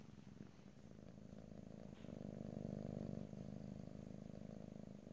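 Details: Steady purring from a domestic cat, captured ear to ear in stereo with no talking. The low vibrating drone grows fuller midway, then eases slightly, without other noticeable sounds.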